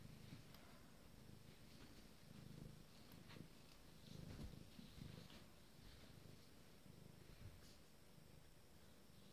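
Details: Abyssinian kittens nine days old, a soft, continuous low purring rumble with faint pulsing throughout, quiet indoor background hiss.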